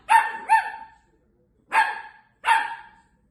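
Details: Female Long-haired Miniature Dachshund puppy barking dramatically after finding out her owner is not home; four sharp, high yappy barks, two quick ones then a pause and two more, each fading into a short ring, indoors.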